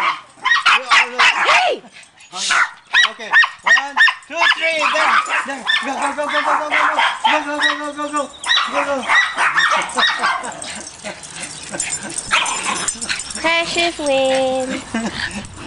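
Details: Several family dogs scramble for a ball, one named MJ mounting Precious instead. A rapid run of arched, high yelps and barks gives way to a held whine near the end, with a person repeatedly shouting "go" throughout.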